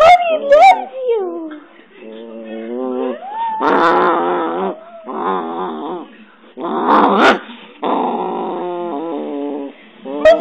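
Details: Digit, a pet dog described as very friendly and cuddly and fond of hugs and kisses, gives a short high whine, then a series of drawn-out, wavering, growly grumbles in bursts over ten seconds, with a person's voice mixed in.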